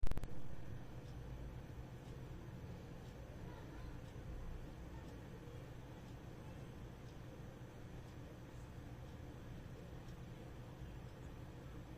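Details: A low, steady indoor rumble with faint regular ticking, and no clear animal voice.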